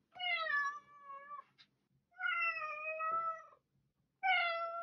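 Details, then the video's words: Domestic cat meowing: three drawn-out harmonic meows, each about a second long with a slight downward glide, spaced roughly two seconds apart, in a quiet indoor setting. "Cat Meowing"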